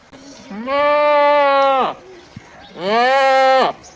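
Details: Goat bleating twice, each a long, steady, nasal baa of over a second with a wavering tail, separated by a short pause; quiet background.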